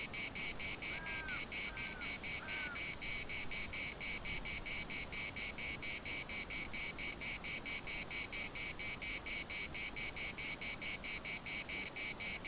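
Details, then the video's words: In Larnaca's municipal park cicadas keep up a piercing pulsed buzz, about two throbs a second, while three brief descending bird calls sound early on, one after another. "CICADAS at the municipal Park Larnaca"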